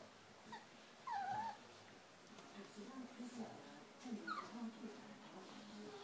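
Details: Four-week-old Rhodesian Ridgeback puppies of a litter: one loud, wavering high whimper that dips and trails off, a quieter rising squeak a few seconds later, with soft murmuring voices in the room.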